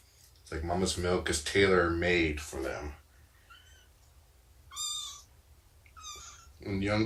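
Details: Indoor morning snuggles, nursing and play with Shelby, an estimated two-year-old formerly abandoned mother cat, and her roughly three-month-old kittens: a person talks first, then three short, high, rising-falling meows follow at intervals.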